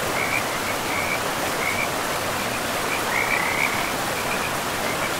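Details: Frogs near a forest river give brief, scattered trilling bursts, fainter and broken by gaps, half-buried in the heavy rush of the river.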